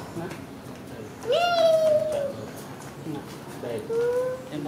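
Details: A cat after eating gives a drawn-out, slightly falling meow lasting about a second, then a shorter, gently rising meow roughly two seconds later, with soft background voices.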